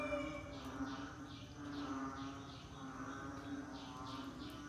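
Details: Rainy-season frog chorus with brief rasping notes recurring in quick succession above a constant low hum, many callers overlapping.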